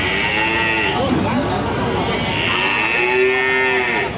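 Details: Cattle at a livestock market in Panggul, Trenggalek, giving two short, wavering moos over busy background talk and market noise.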